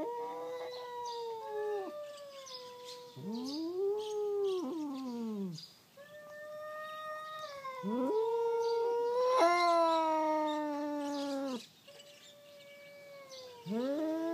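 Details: Two domestic cats quarrelling at night, a black-and-white cat with a tail and a tortoiseshell, the usual opponents; long drawn-out tonal yowls rising and falling, overlapping, with arched wavering wails and brief pauses between bouts.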